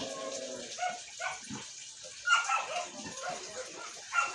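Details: Siberian Husky arguing with a string of short, uneven whiny yips and grumbles, some with a clear tonal pitch, spread across the clip over a constant hiss.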